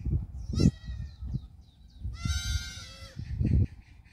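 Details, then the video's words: Black goat kids dashing around a farm in Gimhae, South Korea, July 2022: a brief bleat early on, then a long quavering bleat lasting about a second, amid thudding hooves and low background rumble. "흑염소 새끼들 질주본능"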